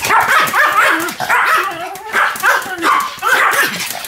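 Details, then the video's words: Two Pomeranians, Sam and Marin, barking as a duet: steady rounds of high, rapid yaps in short bursts about every half second, with whining tones threaded between them. "犬の鳴き声 ポメラニアン サム マリン デュエット吠え"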